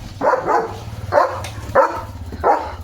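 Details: Leo, a German Shepherd dog wearing a blue harness, barking loudly while playing and getting soaked in the rain: four deep, gruff barks spaced about half a second to a second apart, with a low rumble of rain underneath.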